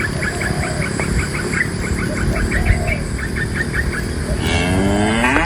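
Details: Dozens of tame cows being herded by a livestock herder out of the forest to their pen; one cow gives a drawn-out, falling moo after a run of quick, high chirping notes.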